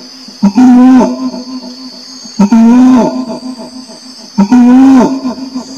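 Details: Orangutan giving three loud, hooting calls about two seconds apart. Each is a harmonic, slightly rising then dropping moan lasting around half a second, over a constant high-pitched insect buzz.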